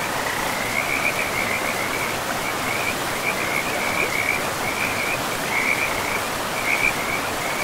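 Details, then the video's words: Frogs by a river deep in a pristine forest, giving short high trilled bursts that repeat every second or so through the whole stretch, several callers overlapping, all over a steady loud rush of flowing water. "River and Frogs sleep sounds"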